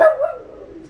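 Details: Teagan, a four-year-old female West Highland White Terrier, throws a tantrum indoors after her torn favourite toy is put out of reach on a coffee table; one short high whine that slides downward and fades.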